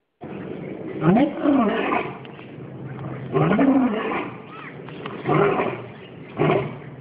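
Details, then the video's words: An old male lion at the Singapore Zoo calls out over its enclosure on 14 January 2013, captured on a mobile phone: deep, loud bursts with bending tones, roughly every one to two seconds, with faint voices between. "Singapore Zoo - Lions"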